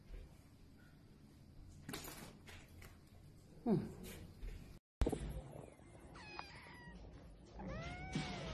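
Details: Oriental Shorthair cat heard amid thumps and handling noises, then short bending meows near the end, one rising and falling, over steady background hiss.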